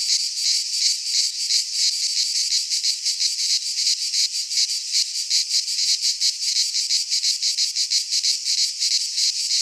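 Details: Cicadas of the Greek fauna calling in a pine forest in midsummer: an intense high-pitched trilling drone, rapidly pulsed and evenly sustained across the whole stretch.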